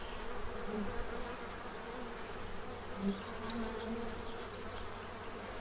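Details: Foraging bees in Central Illinois feed ahead of winter; a busy low humming swarm sound with short passing buzzes rising and falling, one sharper close pass around three seconds.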